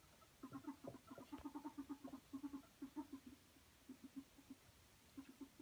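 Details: Playful ferret squeaking happily while wrestling: quick series of short, low clucks, roughly five per second, coming in uneven runs with a few brighter higher notes at the start.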